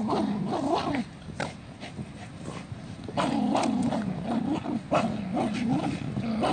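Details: Jack Russell Terrier in a funny 2017 clip grumbles and growls in quick, wavering bursts. A louder stretch of bending, moaning tones follows a quieter pause, with short clicks and taps mixed in.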